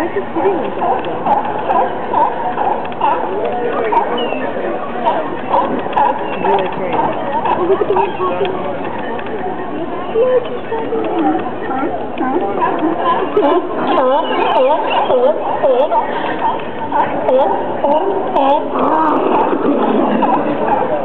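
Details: Sea lions hauled out at Pier 39 in San Francisco, a dense overlapping chorus of harsh, honking barks from many animals at once, with crowd voices mixed throughout.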